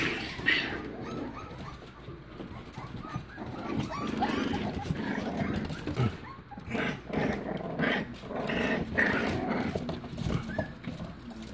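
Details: Chihuahua-mix and Pitbull (Bully) puppies, five and a half weeks old, indoors: several soft overlapping whimpers and squeaks, rising and falling, with busy shuffling and rustling throughout.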